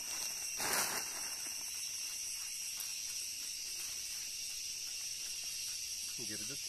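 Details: Cicada singing a steady, high, shrill continuous whine that holds without a break throughout, with a short rustling burst near the start and a faint low sound at the end.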